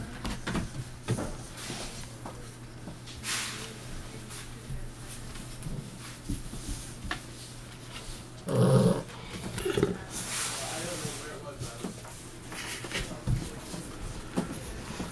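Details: Saint Bernard/Newfoundland cross puppies, seven weeks old, from Grace and Smokey's December 2013 litter, indoors: low rumbling growly noises amid scuffling, one loud rough burst midway, scattered thumps and a steady low hum in the room.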